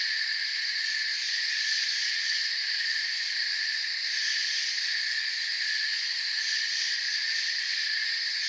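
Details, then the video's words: Crickets in a forest setting, a dense unbroken chorus of high, shimmering trills layered in several steady pitch bands, holding an even loudness throughout with no pauses. "Forest Sounds and Crickets"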